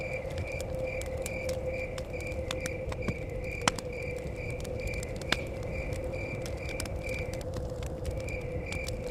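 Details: Crickets chirping near a cabin in the forest, a steady high pulsed trill repeating several times a second, over a crackling fire with sharp pops and a constant low rumble of blowing wind.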